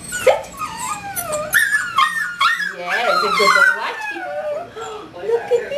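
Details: Seven-week-old puppy Jim Beam, one of Star's fourth litter, filmed 26 January 2012, lets out a run of wavering, high-pitched whines and yelps that rise and fall, while people speak in the background.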